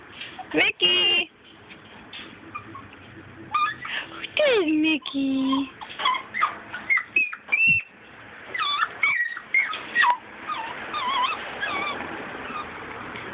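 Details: Two Mini Schnauzer puppies, a small dark salt-and-pepper female and a small light male, meet adult Schnauzers Mac and Mickey to get socialized. Thin rising and falling whimpers and squeals, a few drawn-out descending whines, with a person speaking between them.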